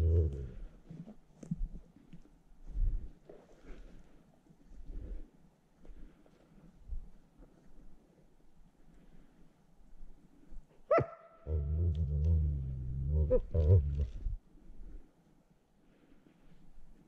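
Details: Wolf held in a noose snare trap while wild wolves are caught for releasing, attacking; scattered low thumps and rustles, then a sharp bark followed by a rough, snarling growl lasting several seconds.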